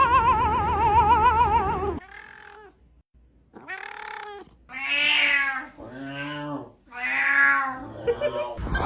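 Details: Domestic cat making weird sounds: a long wavering, trilling yowl for two seconds, then a pause and a run of drawn-out, rising-and-falling meows, ending in a short noisy burst.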